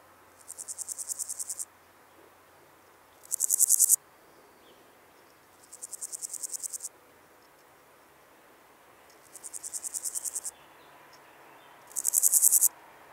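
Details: Meadow grasshopper song from Elsbethen, Austria, 27 July 2019: five short bursts of fast, rasping high-pitched pulses, each under two seconds and rising in loudness, separated by silent gaps of about two seconds.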